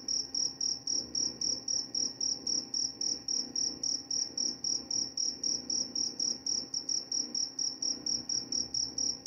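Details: Cricket chirping, offered as a sleep aid and to repel mice: steady high-pitched pulses repeated almost four times a second, each chirp clean and even, over a faint low hum.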